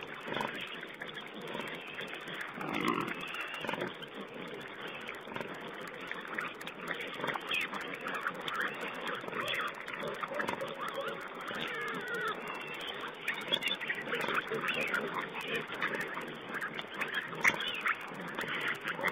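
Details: Wild boar piglets feeding, captured on a webcam on 19 April 2010: low, rumbling grunts and snuffling chatter run on steadily, broken by occasional higher squeaks, set against a hissing background.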